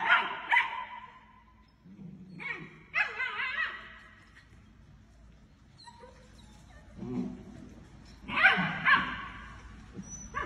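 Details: German Shepherd puppies, several together, give scattered high whimpers and short yips in separate bursts with quiet gaps, one steady whine near the middle, over a low background hum.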